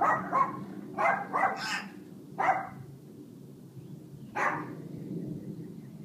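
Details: Mac, the family dog, keeps barking while a 6-year-old African grey named Buddy tries to stop him: a fast burst of several barks, a lull, then a single louder bark, over steady low household hum.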